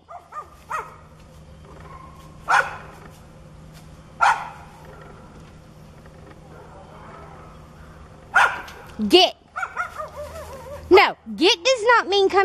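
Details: Aggressive neighbour's dog that charges when its back is turned, barking and growling; scattered sharp barks, then a burst of rapid yelping barks with wavering tones, a man's voice ordering it to go home.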